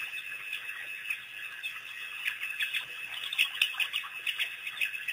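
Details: African wild dog pack, recently released by researchers, visiting Pete's Pond on April 5, 2008. Thin high twitters start sparse, then build into a denser burst of sharp squeaks toward the end.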